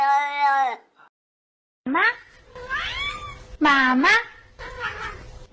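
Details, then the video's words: Domestic cat talking: a steady meow, a short pause, then a run of bent, sliding meows, some rising and some falling, delivered like speech, with faint room noise. "Funny Talking Cats"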